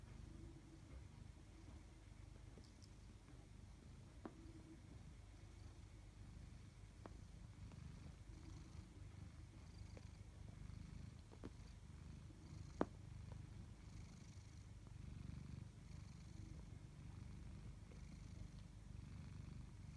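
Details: Pet tabby cat from a household pair called Chloe and Koda, purring quietly and steadily for twenty seconds. The deep hum stays low and even, broken only by a few sharp clicks and taps.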